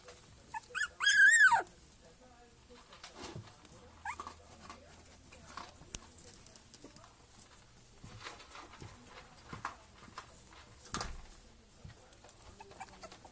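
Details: A single loud, wavering high squeal near the start from three-week-old black Miniature Schnauzer puppies of a litter born 29 January 2014, then only faint soft whimpers, rustling and a low steady hum.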